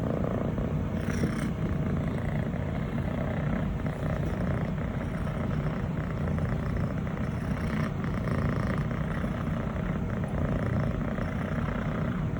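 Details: Six-month-old female Scottish Fold, fluffy brown tabby and white, asking to be petted and purring as her owner strokes her; a steady throbbing low purr with two short soft rustles of fur or handling.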